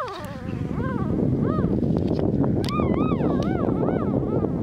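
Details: High, rising-and-falling squeaks from two-day-old Border Collie puppies of Glycine's seven-pup litter, born 14 February 2019 on a French farm, cutting through loud rustling and rubbing noise close to the microphone.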